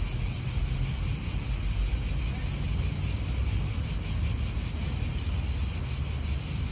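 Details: Cicadas buzzing in an Italian park: an unbroken, high, slightly pulsing drone carries on throughout while strong low-pitched wind noise and distant car sounds fill the background.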